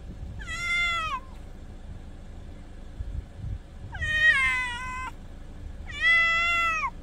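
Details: Night-time meowing of domestic cats beside the sea: three clear, slightly descending meows spaced about two to three seconds apart, each rich in harmonics, with soft surf rumbling underneath.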